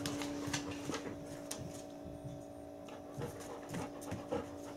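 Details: Gin, a four-year-old Bernese Mountain Dog kept as a large pet at home, pants and huffs in quick uneven breaths indoors while waiting for a treat, over a steady low electrical hum.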